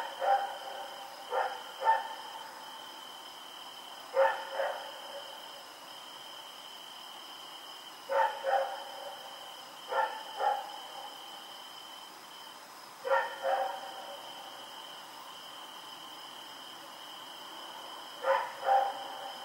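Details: Rex, a dog moving about in the dark on October 7, 2018, barks in clipped doubles and triples at uneven intervals, while a persistent high-pitched hum carries on behind him.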